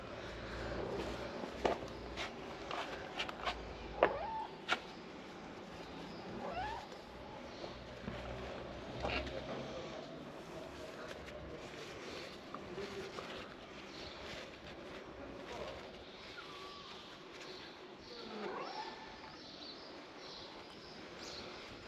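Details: Stray kitten during treatment, giving faint, scattered meows at irregular intervals beneath people talking quietly and low background noise.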